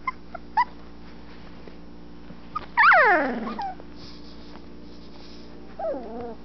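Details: 12-day-old Anatolian Shepherd Dog puppies, eyes just opening, exploring their whelping box: a loud sliding whine falling in pitch, a shorter wavering whimper near the end, and a few soft squeaks earlier, over low room hum.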